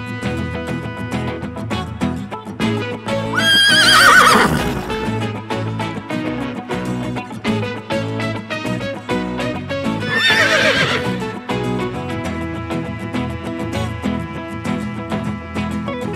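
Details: Two loud, wavering horse whinnies about six seconds apart, each sliding downward and trailing off, set against continuous upbeat music.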